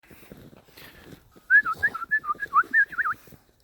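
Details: Belgian Malinois puppies giving a quick run of about a dozen thin, high whimpering squeals over under two seconds, each note bending up and down, in a quiet setting.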